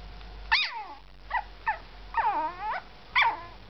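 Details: Yorkshire terrier giving a run of high, wavering whines and short yelps, some notes rising then bending down, a longer drawn-out whimper near the middle, quiet room background.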